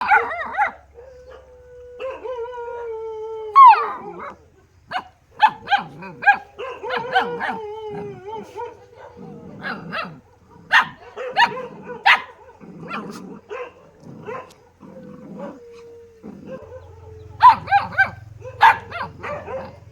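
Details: A dog gives long drawn-out whining howls, then a burst of sharp, rapid barks in quick clusters, with more whines between them and a low steady hum underneath.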